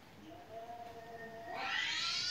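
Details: House cat meowing nonstop at home while a clip of meowing cats plays for it; faint steady tones give way to a single rising, strained meow near the end.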